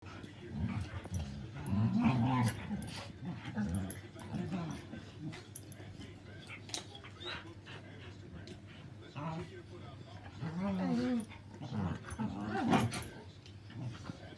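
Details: Shiba Inu and Husky playing together, trading low growling grumbles and short whiny vocalizations in bursts, with quieter pauses between rough-play exchanges.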